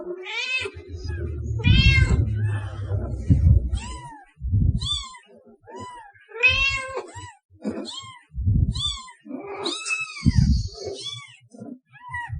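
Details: Series of cat meows, rising then falling arches, some longer and wavering, others clipped, separated by low rumbling knocks and handling noise.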